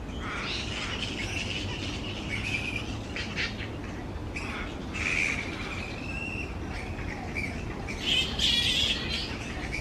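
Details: Grey-headed flying foxes in a large tree colony. Constant high, grating squeals blend into a continuous din of chatter, swelling in louder bursts about halfway through and toward the end, above low background noise.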